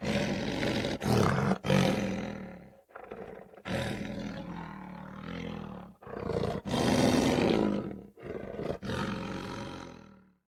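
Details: Lion growling with light roars, deep rough rumbling bursts separated by short silences, each growl swelling and fading over one to two seconds, about six outbursts in all.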